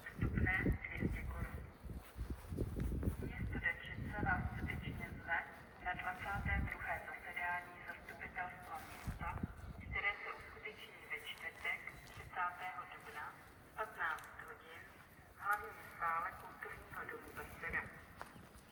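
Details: Sheep with baby lambs on a farm, bleating in a series of wavering, nasal calls through the second half, over rustling and scattered human voices early on.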